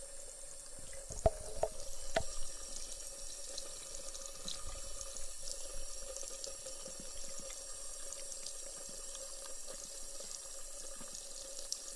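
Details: A faucet runs steadily into a sink with a few louder drips and knocks early on, and no animal voice is heard.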